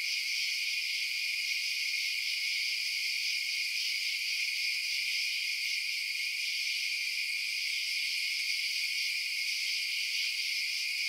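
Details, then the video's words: Crickets chirping at night in a dense, unbroken high-pitched chorus of shimmering, layered trills; steady and even throughout, with no low sounds beneath. "Night Sounds Crickets Chirping"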